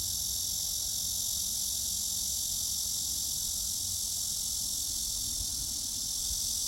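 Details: Cicadas droning in a steady, unbroken high-pitched buzz that holds evenly for the whole stretch, with faint low rumble beneath.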